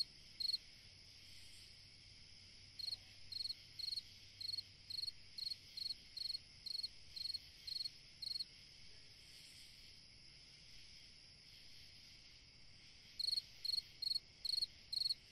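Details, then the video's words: Summer-night cricket song in bouts: a long run of evenly spaced high chirps, a pause of several seconds, then a fresh burst, against a constant shrill insect drone. "Chant d'un grillon dans une nuit d'été / Singing a cricket in a summer night"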